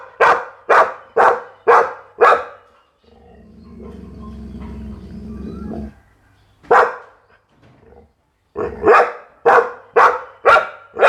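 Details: Pit Bull barks in rapid bursts: five evenly spaced barks, a stretch of low rumbling noise, one lone bark, then five more in quick succession, about two per second.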